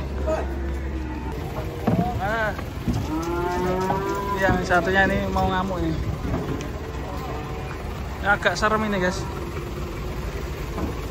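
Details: Agitated cattle lowing after coming off a truck and rampaging into a food stall. A sustained, deep bellow holds steady mid-clip, while people shout and talk excitedly around it and vehicle rumble runs underneath.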